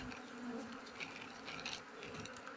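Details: Honey bees swarming around a hive as a beekeeper harvests honey in the flowering season; a dense, steady buzzing hum fills the whole moment, with faint higher whines drifting above it.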